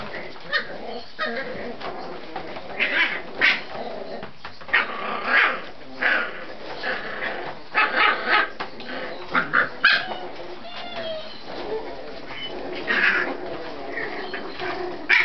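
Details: Fourteen Scottish Terrier puppies at play give high, squeaky yips and short whining barks in irregular bursts, often overlapping, with scuffling and rustling between calls.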